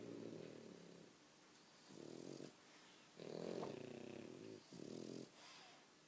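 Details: Sleeping French Bulldogs snore loudly in a small room, producing four rough, buzzing low snores of roughly half a second to a second and a half, spaced by short quiet breaths.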